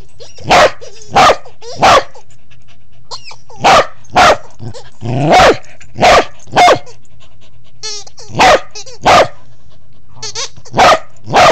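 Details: Corgi hiding under a bed in a low crawl, filmed on an Android phone, gives a run of a dozen sharp, loud barks at uneven spacing, with faint voice-like murmurs between some barks.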